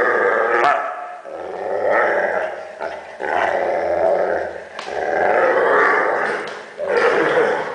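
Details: A Weimaraner dog making funny noises: long, drawn-out groaning and grumbling vocal sounds in several sustained bouts of about one to two seconds each, with a rough growling quality and brief pauses between.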